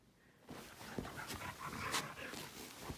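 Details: Keeshond dog helping make the bed indoors, panting in quick rough breaths with soft rustling of bedding; a woman asks where he is and greets him warmly.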